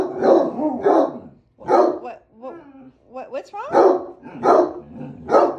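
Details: A spoiled Basset Hound named Ginge gives deep, drawn-out complaining barks and bays, once again demanding its dinner.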